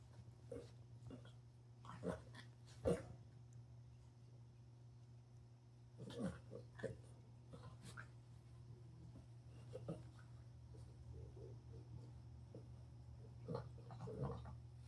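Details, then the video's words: Nine-month-old female Frenchie pug (frug) puppy, recorded 9/6/2025, playing alone with a ball and entertaining herself; quiet short grunts and snorty bursts come every second or two, with soft thumps, over a steady low indoor hum. "Adorable puppy entertains herself and plays alone with a ball making noises"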